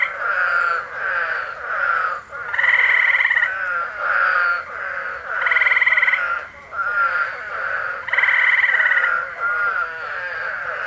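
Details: Eastern spadefoots in Massachusetts, USA, in July 2021 give loud, nasal, groaning calls every few seconds over a steady chorus of trilling gray tree frogs.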